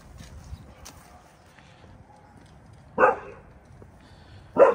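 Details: Vern, a rescued Saint Bernard with bone cancer from North St Louis, talking with the neighbourhood dogs: after a quiet stretch, two loud, deep single barks about one and a half seconds apart, with faint background noise between.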